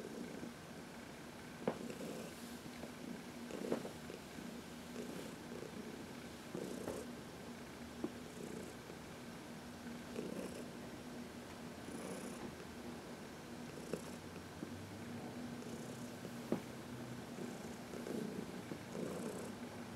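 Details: Contented purring from Heidi, a 14-year-old senior cat, during a sunlit massage on March 19, 2021; a long, unbroken low rumble with gentle pulsing, overlaid by intermittent rubbing and small clicks.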